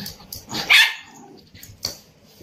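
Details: Pet Indian Spitz giving one loud, sharp, high bark in the middle, surrounded by quieter rustling and a couple of soft yips and a short person's voice.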